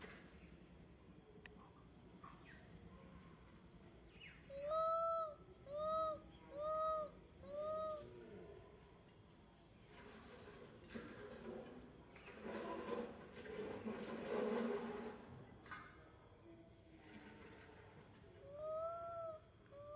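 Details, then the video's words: Little monkey MoMo, a baby, calls for its mother Malika in a park. Four clear, arched, tonal coos with rich harmonics come about one per second, then a long stretch of rustling and background noise, then one last coo near the end. "Little MoMo try calling mom Malika in the Park"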